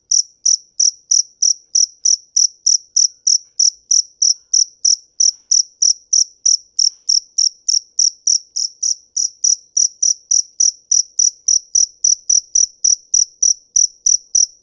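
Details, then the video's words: Cricket singing a long, steady series of crisp, high-pitched chirps, about three every second, evenly spaced and loud throughout with no break. Faint low taps sit underneath. "Tiếng dế mèn hay nhất 2017"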